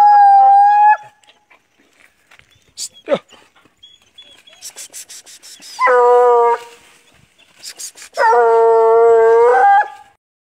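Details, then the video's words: Hunting dog used on paca, giving long drawn-out harmonic howls, two main ones lasting about a second each, with a shorter one at the start and scattered faint clicks and sounds between them. "Cachorro do jeferson bom de paca"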